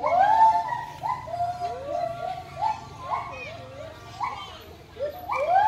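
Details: Siamang giving a run of loud whooping calls, each note swooping upward and then falling, repeated roughly every second, with some calls overlapping in a rising series.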